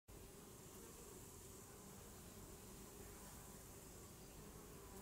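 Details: A Western honey bee, observed in the Eifel region, gives a steady, low droning buzz holding one even pitch throughout.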